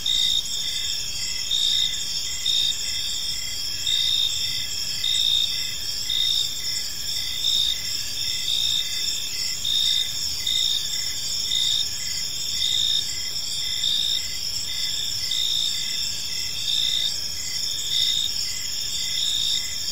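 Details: Many crickets chirp through a calm park evening, their bright, high-pitched buzzing trills forming a steady wall of sound, punctuated by rhythmic pulses close to once per second, with faint distant low noise.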